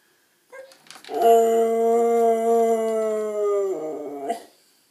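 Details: Siberian Husky puppy talking indoors: one drawn-out, steady howling vocalisation about three seconds long, slightly falling in pitch, with short yips at the start and a squeaky break at the end.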